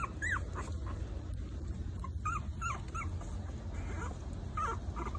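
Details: Young Maltese pups, four weeks old, letting out short rising-and-falling whimpers spaced irregularly, over a strong low rumble.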